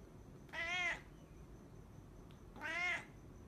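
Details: Brown pet cat giving two clear, drawn-out meows about two seconds apart, each tonal and slightly rising then falling, against a quiet room with a faint hum.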